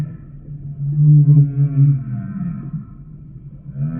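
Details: A single low, droning humpback whale moan, steady and slightly wavering for about a second, fading into a softer, gliding tone with faint buzzy overtones.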